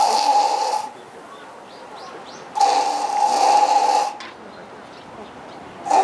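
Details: A hippopotamus at Tennoji Zoo in Osaka, on 22 January 2019, lies with its face above the water in what seems to be snoring. It produces two droning, humming snore bursts of about one and a half seconds each, separated by a quiet pause.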